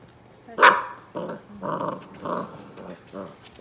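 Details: Basset hounds, European basset puppies climbing over and playing on an adult male basset. One sharp, loud bark opens, then four rough, harmonic growling pulses follow over about two seconds, with faint human voices.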